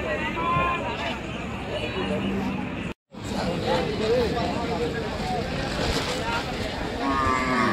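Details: Cattle at the crowded Gabtoli Gorur haat cow market in Bangladesh, 2022: a low, drawn-out moo rises briefly around the two-second mark, with another at the close, all beneath dense human chatter and passing vehicles.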